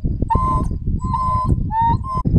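An African wild dog gives a series of clear, hooting notes, calling out for a missing pack member.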